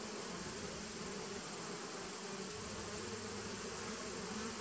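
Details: A 2017 honey bee nucleus colony on 19 September 2018 gives a continuous, uniform buzz, a low droning hum topped by a lighter band, with a steady faint high-pitched whine in the background.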